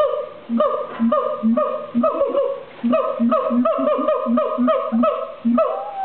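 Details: A siamang at the LA Zoo gives loud, rhythmic calls resonated by its throat sac, deep booms alternating with ringing barks and whoops.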